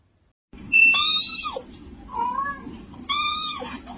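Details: A kitten calls loudly for its mother or food with three meows. The first is long and bright, the second softer and lower, and the last sharp and strident. Low background hum runs throughout.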